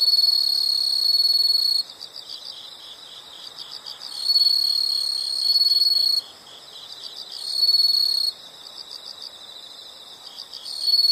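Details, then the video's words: Nature recording of insects: loud, high, sustained trills switch on and off every couple of seconds, alternating with quieter bursts of fast pulsed chirping, about four pulses a second, steady and busy throughout. "the sound of insects"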